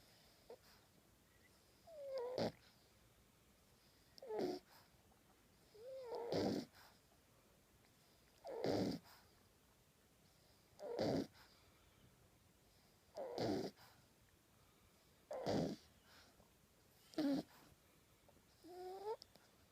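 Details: A 10-week-old male French Bulldog puppy, asleep with his tongue out, snores in rough, wheezy bursts roughly every two seconds.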